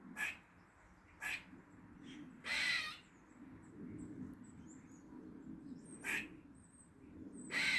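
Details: Squirrel making weird noises in a Dublin garden on the forenoon of 16 August 2023: short, harsh, hissing bursts spaced unevenly, with a longer rasping call near three seconds, over low steady background hum.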